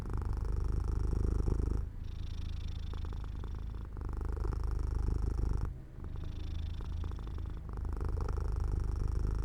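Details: Purring cat drifting to sleep near a sunlit open window; low rumbling purr in rhythmic swells, each phase lasting roughly two seconds, with brief soft dips between breaths.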